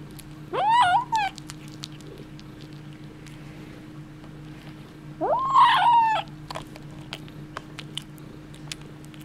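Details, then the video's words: Kitten with a bone giving two separate rising-then-falling meows about five seconds apart, the second rougher and more strained; faint clicks and a steady low hum between calls. "Kitten & bone, weird sounds"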